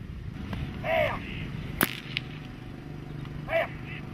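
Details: Dog during protection training, working breeds such as German Shepherd or Malinois: two short, harsh barks about two and a half seconds apart, a sharp whip-like crack between them, over a steady low outdoor rumble.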